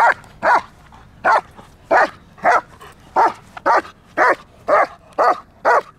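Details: Trained German Shepherd at Kraftwerk K9, barking during a training session: a steady series of short, forceful barks, about two per second, with little else heard.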